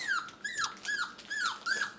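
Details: Six-week-old puppies indoors: a pup gives high whining cries, each starting high and dropping, five in quick succession about every 0.4 seconds, with little background noise.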